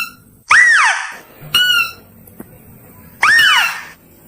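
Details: Mouse-deer call used to attract: two loud, arched squeals that rise and then fall, with a shorter, flat, ringing squeak between them and quiet gaps in between.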